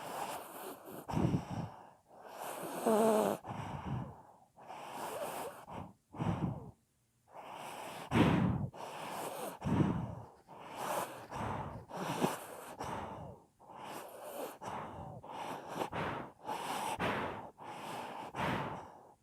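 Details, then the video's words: A sleeping pet dog, filmed in 2018, producing a steady run of loud, ridiculous-sounding snores: raspy, breathy bursts roughly every second, some with a whistling or gurgling edge, and a brief quiet gap near the middle. "Собака храпит / Snoring dog"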